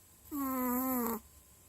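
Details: Dog asleep, one drawn-out humming snore of nearly a second, level and reedy with strong overtones, ending in a slight downward slur before near-silence.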